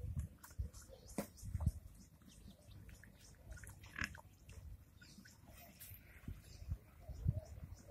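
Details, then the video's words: Pigs in a village in India, grunting in low, rough bursts scattered through the recording, with a few sharper squeal-like sounds and steady background noise. "pig sounds"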